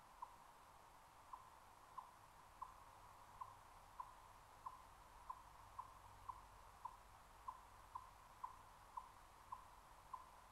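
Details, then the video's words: In early fall in the Great Smoky Mountains, an Eastern Chipmunk gives a faint, monotonous alarm cluck, short hollow mid-pitched chucks about every two-thirds of a second, warning of a Cooper's Hawk in its territory, over quiet hiss. "Chipmunks Cluck Alarm Call"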